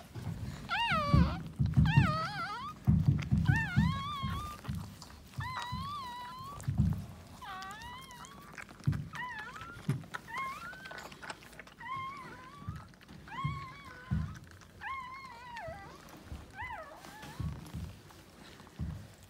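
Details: Maltese dog giving birth to her second puppy of three: high, thin whining squeals that rise and fall, about one a second across the stretch, with soft thumps and rustling close by.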